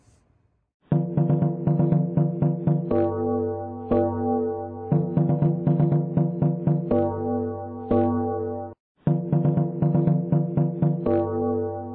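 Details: Electronic keyboard music with rapid plucked notes and gong-like struck chords in a steady rhythm, pausing briefly near the end, with no animal sound.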